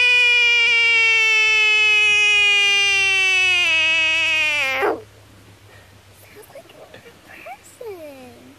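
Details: Frog in defense mode giving a loud, long harmonic scream for about five seconds, slowly falling in pitch then dropping sharply at the end, followed by quiet rustling and a softer brief cry.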